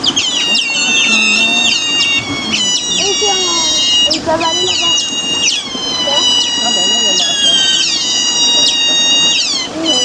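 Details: Eurasian otters, a lively group at Zoo Basel, giving continuous high, harmonic whining squeals with sharp downward chirps, several overlapping, over low background chatter.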